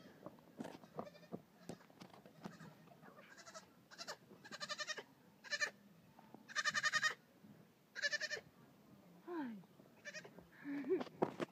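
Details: Goat kids out for a nightly jog on a farm, relaxed around people: a series of loud, wavering, nasal bleats every second or so, some long and quavering, mixed with softer shorter cries and movement sounds.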